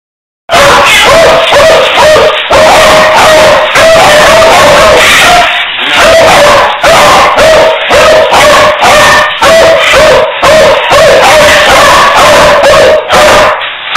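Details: Beagle barking in a near-continuous stream of loud, clipped barks, several per second, each carrying a ringing mid-pitched tone, with hardly a pause across the stretch.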